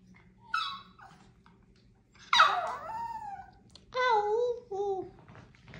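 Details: Sassy pet Chihuahua indoors in a small room making short, high, whining yelps that slide downward in pitch, several in a row, as a woman talks to it.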